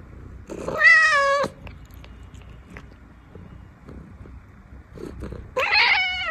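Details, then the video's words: Scottish Fold cat asking for food indoors: two loud, drawn-out harmonic meows, each about a second long, the first steady then falling, the second rising and bright, with soft clicks and faint chewing between them. "Scottish fold cat is asking for food"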